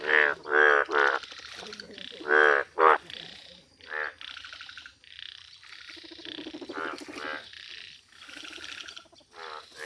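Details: Indian bullfrog in its rare yellow colour calling in nature: a few loud, nasal pulsed croaks in quick pairs, then softer, more distant croaks and a hissing background chorus.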